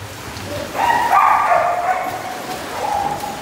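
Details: A dog gives one drawn-out, tonal bark that slides into a brief whine, loud and close, with faint background noise.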